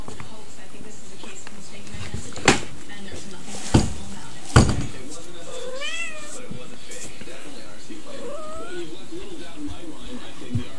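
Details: Kitten, not yet fixed, giving a short rising-then-falling meow, followed later by a fainter second mew, over a steady hissing background with a few sharp knocks.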